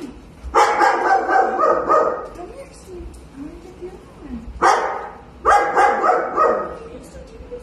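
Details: Golden retriever Walter barks in a basement as he is reunited with his owner after almost a year missing in the woods: strings of rough, rapid barks in two bursts, with human voices talking between them.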